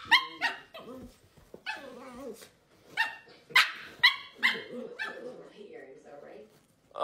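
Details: Pet dog in a funny home compilation, giving a run of bright, harmonic barks and drawn-out yowling cries, about a dozen sharp bursts in seven seconds, with a person's voice mixed in between calls.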